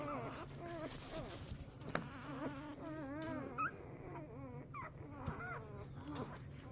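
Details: Rosie's newborn Golden Retriever puppies, twelve in the litter born 4/25/23, whimpering in their sleep indoors: a steady stream of thin, wavering squeaks and whines that overlap and rise and fall continuously.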